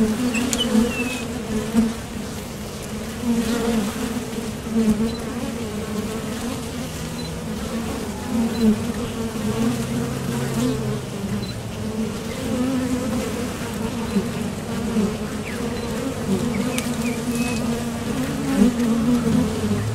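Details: Honeybees at the entrance of a top bar hive, leaving and landing as they fly to and from the field for nectar; a dense, steady low drone with gentle swells and brief louder passes of individual bees.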